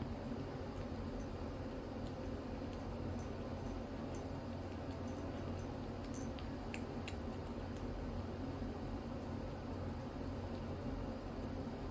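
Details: Steady indoor fan-like hum with a few faint clicks and taps, no animal calls audible.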